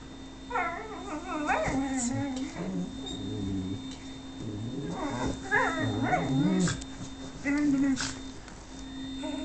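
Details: Whippet whining for a person's affection indoors; repeated high wavering whimpers and yelps in bursts, some sliding up and down, with a steady low hum and brief rustling behind.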